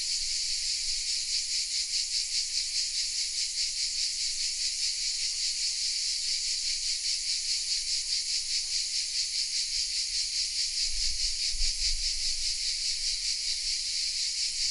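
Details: Cicadas in the oaks of the village of Vézénobres in the south of France, captured with a Sony RX10 M3: a sustained high-pitched rasping drone, throbbing softly about twice a second, with a brief low thump near the end.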